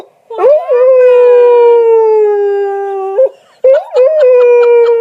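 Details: During a tantrum over his bone, stuck under the sofa, the pet dog Sully lets out a long sustained howl, slowly sinking in pitch for nearly three seconds, then a short pause and a second wavering howl.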